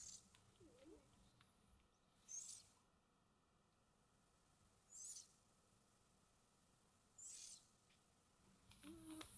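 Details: Pet cats soundly asleep indoors breathe softly and snore. Faint airy puffs recur every two to three seconds, one ending in a low nasal whistle, against a calm, near-silent background.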